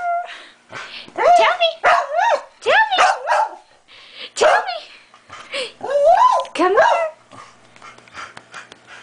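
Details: Pet Shetland Sheepdog Jake, trained to bark only when spoken to like this, gives a run of short yelping barks and whiny yips, rising and falling, in quick bursts, fading toward the end, with his owner's voice around.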